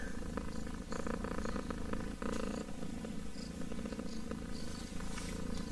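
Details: Domestic kitten purring close up, a continuous low rumbling throb with steady pulsing, broadband crackle above and a few soft clicks and rustles scattered through.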